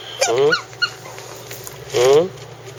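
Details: Two brief, sharp whimpers from Chako, a Shiba Inu recently added to the household, come about a second and a half apart, each a quick rising-falling yelp over a low indoor hum.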